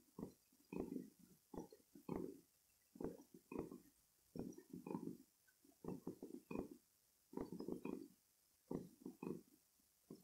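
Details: House cats, kitten Rossetta and cat Bella, purring loudly while lying awake on a bed indoors; rough, low, grainy bursts come in breath-paced pairs roughly every second, steady and close, with no other sounds.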